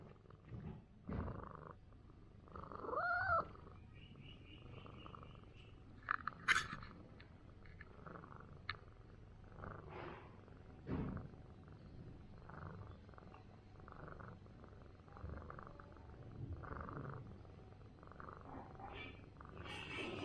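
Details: Big orange village cat, worn out after fighting feral cats all night and sleeping on a stool all day, purring while being massaged: a steady low rumble with soft scattered rustles and a few brief higher squeaky sounds.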